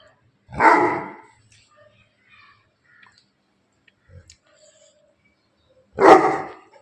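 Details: Bully Kutta dog from Bangalapudur barking twice, each bark a loud, gruff burst about six seconds apart, with near silence and small clicks in between.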